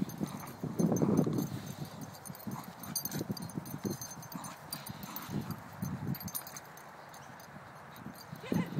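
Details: Staffies playing tug: two Staffordshire Bull Terriers, about four years old, one black and one brindle. A loud growl opens, then shorter rumbling growls and scrabbling paws, while a person urges them on.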